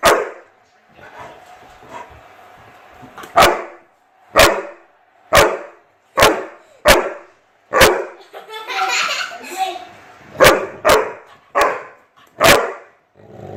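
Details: Chocolate Labrador facing a fidget spinner, barking in a long series of about twelve abrupt loud barks, often in pairs, with a person talking and a brief whirring, rustling stretch midway.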